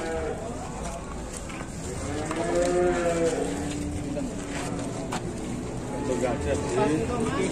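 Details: Bellowing cow at an Indonesian cattle farm, described as a fierce, wild bull with a big, imposing body; two long, low, drawn-out moos with rich harmonics rise and fall midway and near the end, amid clicks and faint voices.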